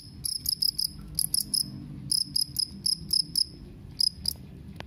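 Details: A two-spotted cricket gives clear, high chirps in tight bursts of two to four pulses, separated by short gaps, against a soft low-pitched background murmur.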